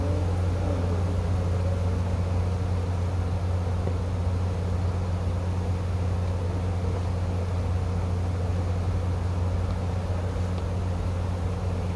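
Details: Steady low mechanical hum of engines or factory machinery drones without pause, with no insect buzzing or other animal sound.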